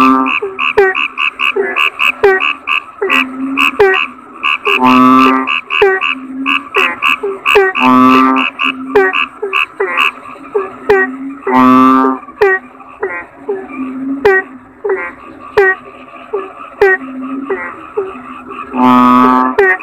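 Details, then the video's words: Busy frog chorus with a constant patter of short, bright, repeated notes. Loud, rough, buzzing croaks burst through at intervals of about three seconds, five in all. "Suara Kodok Bangkong"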